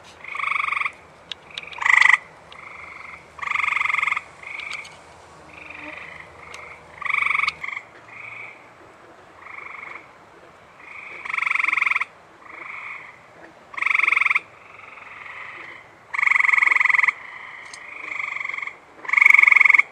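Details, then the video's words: Many male Eastern Gray Treefrogs chirp in an overlapping chorus of short musical trills at a water reservoir in Michigan on a humid, 73°F night just after rain. American bullfrogs were occasionally heard there too. "the water reservoir behind me here has got plenty of eastern gray tree frogs just a chirping away."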